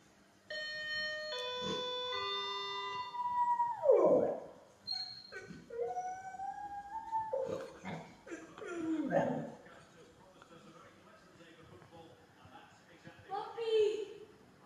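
A Golden Retriever answers an electronic intercom chime with drawn-out, sliding howls and yelps.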